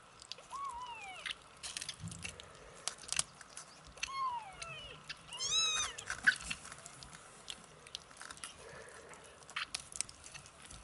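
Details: 27-day-old kittens giving thin, high mews that slide downward, a few scattered early and then a cluster of overlapping cries near the middle, over steady soft clicking, chewing and rustling noises.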